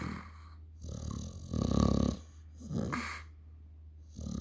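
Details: Snoring dog gives a few low, rattling breaths, the loudest a vibrating snort near the middle, over a steady low hum.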